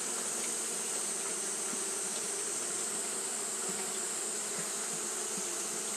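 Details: Japanese honey bees fanning throughout a hot day make an unvarying low buzzing drone, layered and constant, accompanied by a persistent high, airy hiss.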